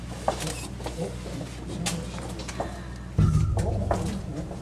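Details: A male Chinese alligator at Maruyama Zoo, Sapporo, gives a deep, rumbling courtship bellow in water, answered by the female in call-and-response before mating, in the Feb–March breeding season; people talking nearby.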